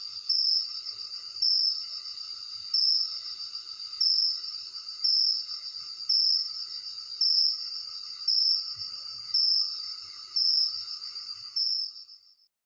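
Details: Crickets at night, phone recording: an unbroken, piercing high trill with regular louder pulses close to one per second, about twelve in all, before the sound tapers off at the close.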